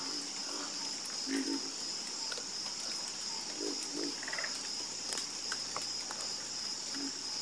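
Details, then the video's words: Scattered frog croaks, low and short, some in quick pairs, rise above a steady high-pitched insect-like buzz in a calm natural soundscape. "Calming Sound Of Harmonious Frog Croaking"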